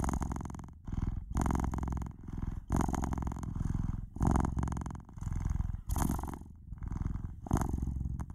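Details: Pet cat purring loudly and continuously, a low buzzing rumble that surges with each inhale and exhale, roughly every second, in a quiet room.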